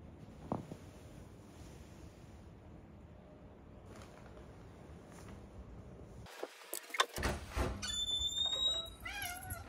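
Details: Ollie, a male house cat, comes indoors after keeping watch outside the house and loudly demands to be petted. After a quiet stretch of household noise and a thump, a run of loud, wavering, rising-and-falling meows fills the final seconds.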